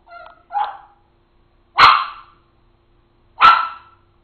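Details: Rivet, a papillon dog, in a jumping barking fit over tomatoes on a kitchen counter: a soft yip, then two sharp high barks about one and a half seconds apart, with quiet room between.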